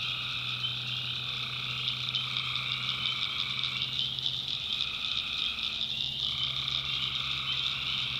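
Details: Tree frogs calling at night in the backwoods of North Carolina: a dense, unbroken high-pitched trilling chorus with a lower two-toned droning layer that drops out briefly near the six-second mark, then returns, plus a faint low hum.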